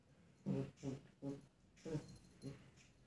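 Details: German Shepherd puppy indoors in a study room in India reacting to a mirror, giving five soft, low, muffled woofs spaced about half a second apart against a quiet room hum.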